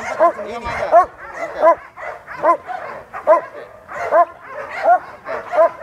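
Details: Aggressive sport dog in training at Vom Almere Dog Training Centre, set against a person who normally handles Pitbulls. It barks loudly and steadily, a sharp bark roughly every 0.7 seconds, while people talk over it.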